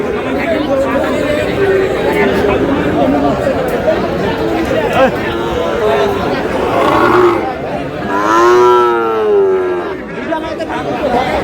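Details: At a busy cattle market in Comilla, Bangladesh, where Sahiwal bull calves are on sale on 31 March, one full, rich moo swells and falls near the end, after several seconds of human chatter and bargaining voices.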